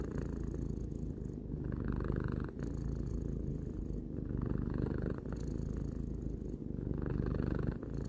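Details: Domestic cat, three years old, purring indoors: a continuous low rumbling drone, swelling and easing in cycles of about two to three seconds with each breath, with no other sounds.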